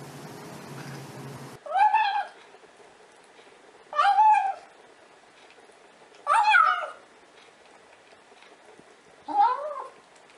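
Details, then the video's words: Domestic cat making weird noises, a series of four loud, drawn-out meows, each wavering and rising then falling, spaced about two seconds apart, after a brief stretch of background noise in a quiet indoor room. "Cats Who Make Weird Noises!"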